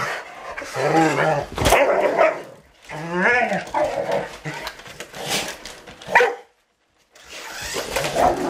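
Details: Rottweilers playing with a remote control truck; tonal, harmonic whining barks near the first and third seconds, then scattered shorter yelps, mixed with a person talking and clattering noises.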